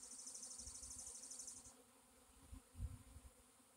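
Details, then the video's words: Honey bee swarm, April 26, 2021: an even low buzzing hum, with a rapid high pulsing trill over the first second and a half and a few low thumps later. "Honey bee swarm"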